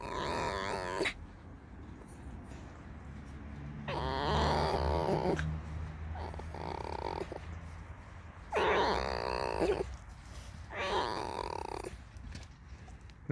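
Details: A pet fox, just woken after sleeping all day and come to be scratched, "creaks" and complains, giving loud, harsh, squeaky squeals in bursts about every four seconds.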